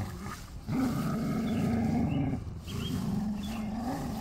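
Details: Two dogs, a Chow Chow and an Australian Shepherd, play-wrestling. A deep, continuous, rattling growl holds for almost two seconds, breaks briefly, then resumes just as low and rough.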